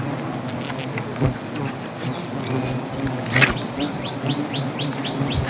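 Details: Low continuous buzzing of agitated native honey bees as honey is cut from a hive beneath a tree in Gazipur, Bangladesh; a bird adds a rapid series of short chirps near the end, with thuds from the work.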